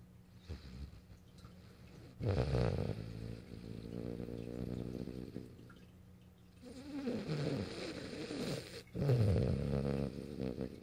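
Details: French Bulldog named Morio asleep on a lap, filmed March 8, 2012, snoring in three bursts of rough, low, rattling breaths, each lasting one to two seconds and separated by quieter breathing.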